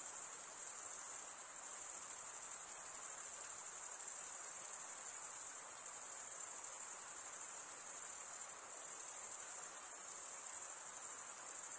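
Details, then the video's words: Crickets, males stridulating by rubbing wing against wing, form a continuous high-pitched shimmering trill that holds steady throughout with no pauses, with no other sounds present. "Most relaxing cricket sound"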